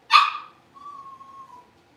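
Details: Blenheim Cavalier King Charles Spaniel puppy from a litter of five born at New Year, newly moved to a big indoor pen: one sharp bark, then a long, steady, thin whine that fades out. The room is otherwise quiet.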